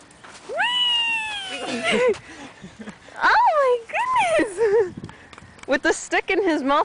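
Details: Yorkshire Terrier named Rocky, playing outdoors on a slide with a stick in his mouth, gives high, drawn-out whines that rise and then slide down in pitch, repeated several times, with a person talking to him between them.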